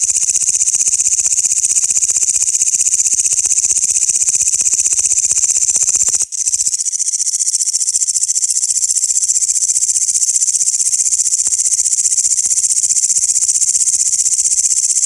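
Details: Grasshoppers sounding loudly in a continuous, dense high-pitched buzzing chorus, steady throughout with a brief click and dip near the middle.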